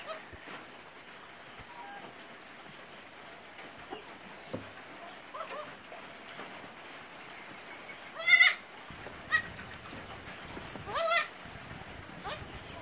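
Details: Newborn goat kids, three born in one delivery: two short, high, strained bleats about three seconds apart rise above a low hiss, with faint high chirping notes repeating in the background.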